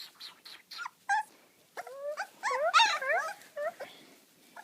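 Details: Labrador Retriever puppies whine and squeal in a burst of high, wavering, rising-and-falling cries, several overlapping, after a few short yelps; a woman's voice greets them softly nearby.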